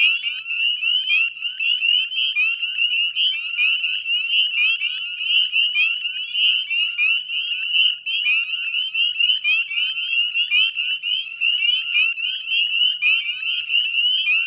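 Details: Northern spring peeper chorus, Nova Scotia salt marsh edge at West Chezzetcook, dusk, mid-May 2020: numerous frogs give piercing, rising whistled peeps, layered into an unbroken bright trilling din that pulses slightly in loudness.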